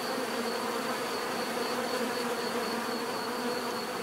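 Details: Short stretch of steady bee buzzing: a thick, level droning hum from many insects, unchanging throughout, with a thin high whine running above it.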